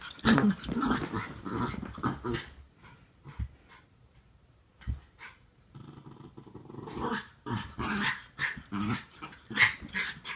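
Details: Norfolk Terriers wrestling and play-fighting indoors, keeping a younger dog under control: rough, broken growls and snarls come in busy clusters, a quieter stretch midway, then renewed scuffling growls and a few sharp yips.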